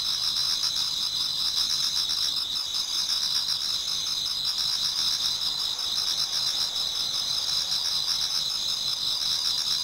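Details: Toward dawn in autumn, many insects sing together in a Japanese garden. An unbroken, piercing high chorus with a faint shimmering pulse, steady in loudness, and no birds or people.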